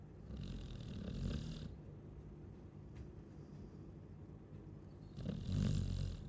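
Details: Deep, gravelly snores from a sleeping Chow Chow, two louder rasping bursts about four seconds apart separated by quieter heavy breathing.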